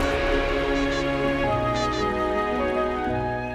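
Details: Sustained orchestral music with layered held tones fills the clip, swelling then gradually fading, with no animal voice.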